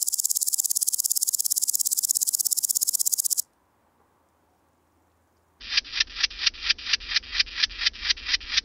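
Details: Woodland grasshopper at Gaisberg, Austria, September 2023: a fast, high rasping pulse series for three seconds stops. After a pause, slower, louder and lower clicks follow, about two per second.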